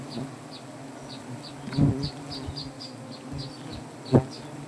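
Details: Native honey bees droning around a comb hanging in a banyan tree in Gazipur, Bangladesh, as honey is collected; dense low hum with a short series of regular high chirps from another animal above it and a few sharp knocks.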